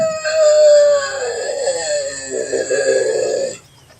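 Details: A single long bobcat scream, a wailing harmonic yowl of over three seconds that starts high, drops in pitch and turns rough and quavering before ending abruptly.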